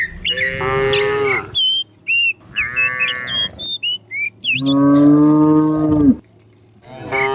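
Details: Cows herded down a hillside in the morning, from a herd of dozens: long harmonic moos rising and falling, one drawn-out low moo near the end, with many short high whistled bird chirps between the calls.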